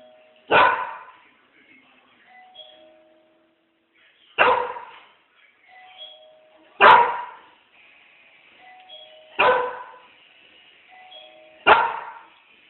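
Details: A dog barks at the doorbell, giving single loud, sharp barks every two to three seconds, with faint doorbell-like chimes between them.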